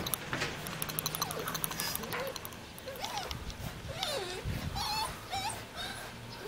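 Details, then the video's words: A young Jindo dog in Jeonju, North Jeolla Province, Korea, calls for play while wagging its tail: wavering, whiny whimpers that bend up and down in pitch, repeated through the clip over light background noise. "같이 놀자고 꼬리치며 불러대는 귀여운 아기 진돗개"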